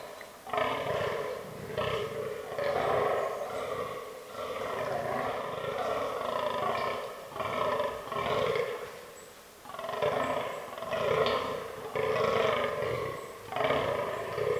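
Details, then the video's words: Fallow deer bucks during the autumn rutting season in forest, the herd with albino and melanistic individuals; guttural, croaking groans come in bouts of several, broken by short quiet gaps, each call a rough throaty burst. "Fallow Deer Rut 2022"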